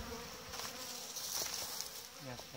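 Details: Winter packing of honey bee hives with simple insulation instead of polystyrene: a continuous droning hum of the colony is heard under bright hiss and small rustling and tapping sounds.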